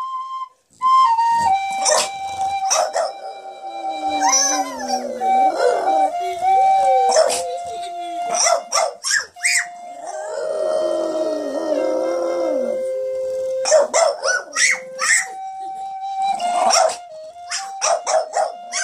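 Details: Dog howling together with toddlers as an Indian flute plays happy birthday; long bending, quavering howls weave under held flute tones, interrupted by sharp clusters of children's singing and shouts.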